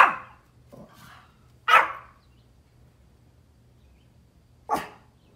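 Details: Pomeranian dogs outdoors barking at deer; three sharp, loud, high yappy barks spaced about one and three seconds apart, with a fainter bark between and quiet surroundings.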